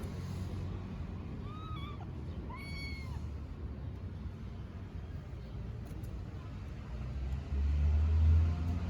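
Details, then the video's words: Hungry kittens on a freezing street meowing desperately for their mother: two short, high meows with a rising-then-falling pitch, about a second apart, near the start over a steady low traffic rumble that swells toward the end. "The Heart-Wrenching Meows of Hungry Kittens Calling Their Mother!"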